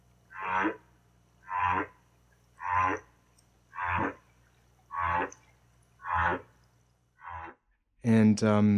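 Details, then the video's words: Humpback whale song played back, likened to slowed-down bird song, lyrical and tonal: seven harmonic moaning units repeat about once a second, and a speaking voice breaks in at the end. "I'll start with a bit of a um humpback whale song and then we'll check out some sperm whale sounds."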